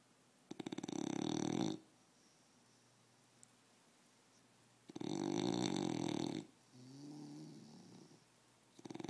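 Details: An English bulldog wearing a cone on its head snores in loud, rasping bursts separated by quiet pauses.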